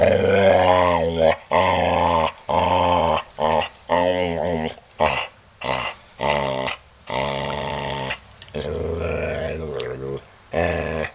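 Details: Male Boxer dog sitting on a couch indoors, talking: a run of drawn-out, groaning, growly moans with rising and falling pitch, each lasting about a second, separated by short pauses.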